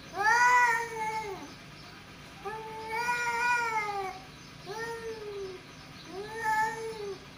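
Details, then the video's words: A pair of male cats trading long, moaning yowls, four arched, harmonically rich cries spaced about two seconds apart with quiet gaps between. "Two Male Cat | Cat Voice"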